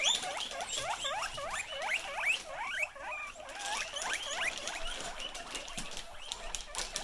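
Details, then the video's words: Excited guinea pigs reacting to a plastic bag make a dense run of short, rising squeaky chirps repeated over a noisy background. "These Pigs Go Crazy When They Hear A Plastic Bag"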